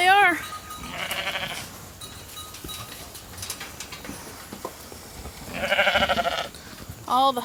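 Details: Hungry domestic sheep flock running into a holding pen for evening grain on a dry, dusty farm. Quavering, harmonic bleats rise at the start, near one second, and in a longer wavering call near six seconds, with hoof scuffing and rustling between.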